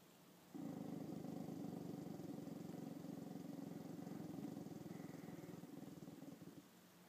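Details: Female dog Chanel, facing her mirror reflection for the first time, holds a long, low, steady rumbling growl of about six seconds with a fast, even vibrating texture, then falls silent.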